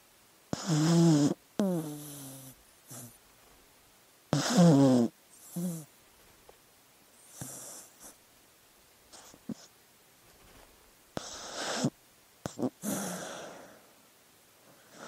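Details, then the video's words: Dog snoring in sleep: loud, vibrating, groaning snores with a wavering low tone in the first seconds, then quieter clicks, snuffles and airy breaths trailing off. "Sleeping Dog Sounds"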